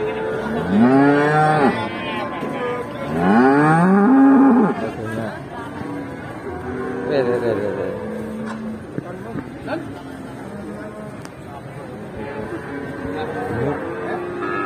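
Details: Enraged cattle in Indonesia, so wild it charges and rams its own owner; two long, loud, harmonic moos rising then falling in the first five seconds, followed by weaker, rougher lowing calls and some background noise.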